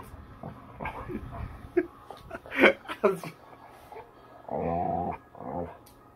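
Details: Bella, a playful chocolate Labrador Retriever, being vocal indoors; a person's voice and clattering come first, then a single sustained, wavering, moaning vocal near the end, followed by a shorter quieter one.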